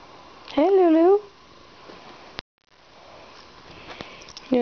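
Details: Bengal cat wanting pets from a returning person gives one wavering, drawn-out meow, followed by quiet and then a person's affectionate chatter.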